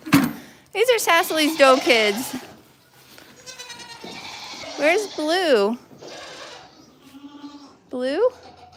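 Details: Goat at The Willful Goat Farm & Home, heard on a live stream: loud, wavering, quavering bleats in a rapid burst, then a pause and two more tremulous calls, with people talking quietly between them.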